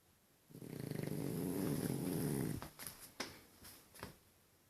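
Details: French Bulldog snoring comically indoors: one long, loud, low rattling snore lasting about two seconds, followed by a few short snuffling breaths and clicks in a quiet small room.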